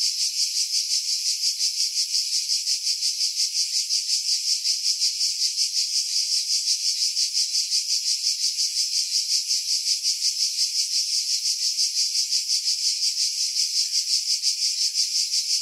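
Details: Cicadas in pine trees on Skiros Island, Greece, July 2018, near Pefkos Bay: an unbroken, very high buzzing chorus with steady, even pulsing at nearly three beats per second, wind filtered out.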